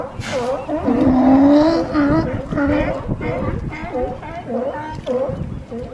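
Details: Loud, hoarse, harmonic barking from California sea lions hauled out on a harbor dock at Crescent City, California. A drawn-out groaning call is followed by shorter barks repeated roughly twice a second, with light background rumble.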